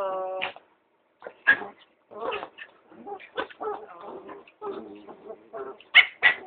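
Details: Two dogs, a baby long-haired Chihuahua and a sheltie, in a play fight started by the Chihuahua: high harmonic whines and short sharp yips in quick irregular bursts, with brief pauses and a voice heard faintly.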